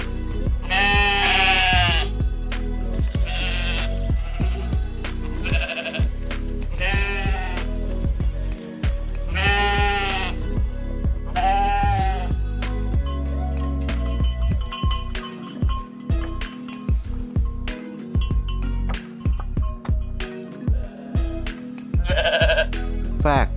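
Several sheep give loud, trembling bleats, each a few seconds apart with a shaky, vibrato quality. Rhythmic instrumental music with a strong beat plays throughout beneath the calls.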